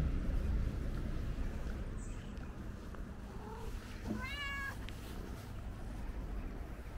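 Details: A curious ginger stray cat checks out the camera and meows once past the midpoint, a bright, trembling, slightly falling cry, preceded by faint soft sounds and set against low background rumble.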